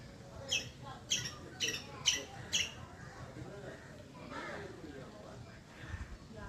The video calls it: Loud squirrel chirping Sound😳